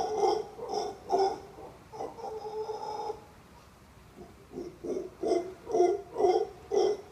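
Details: A male howler monkey calls from a tree crook near a resort pool in Costa Rica. Rhythmic, throaty grunts break into a drawn-out hollow moan, then pause briefly. The grunting then resumes at about two per second.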